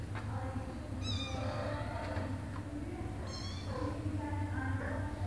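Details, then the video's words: Mother cat wanting a door opened because her kittens wait behind it; two high, thin wavering mews about two seconds apart plus lower meows, against a continuous low background hum. "Mom cat meows for me to open the door, because her kittens are behind the door"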